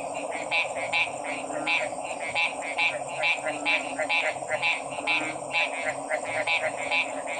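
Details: Frogs calling against a steady background chorus: short, bright, croaking pulses repeat about every half second and overlap, over a constant droning hum.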